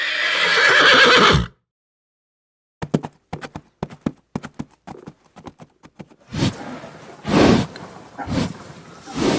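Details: Horse neighing: a loud, harmonic whinny for about one and a half seconds, then silence, a run of sharp clip-clop hoof knocks, and loud blowing snorts near the end, in a children's animal-names lesson.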